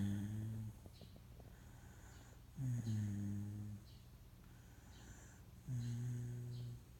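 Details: Moka, a Shiba Inu mix, snoring while awake indoors. Three low, harmonic, droning snores of under a second each come about every three seconds, with quiet gaps between them in a small room.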